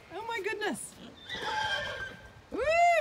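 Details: Pony squealing with excitement while meeting other animals for the first time on a farm in County Kilkenny, Ireland; sharp arched harmonic squeals at the start and end, a woman exclaiming in between.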